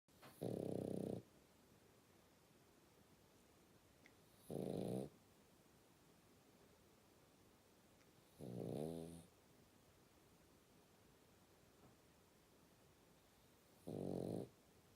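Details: A French Bulldog puppy snores in deep, rumbling, rattly breaths spaced about four seconds apart.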